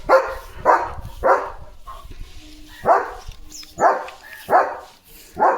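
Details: A German Shepherd named Leo, in guard mode as sheep walk past the house gate, fires off an uneven run of about seven barks: three quick ones, a pause, then four more.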